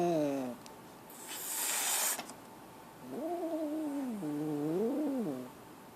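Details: Scared kitten giving drawn-out, wavering meows: a falling cry at the start, a bright hissing rush of noise in the middle, then two long level-then-dipping wails near the end.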